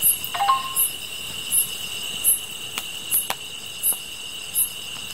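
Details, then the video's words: Grass insects in a night chorus: steady high ringing tones under a sharp, very high chirp repeated roughly every three-quarters of a second, with scattered sharp clicks and a brief whistled note near the start. "풀벌레 소리"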